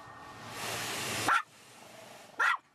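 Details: Shih Tzu Sarah, who hates the car wash, gives two short, sharp barks separated by about a second, following a surge of hissing spray noise from the wash.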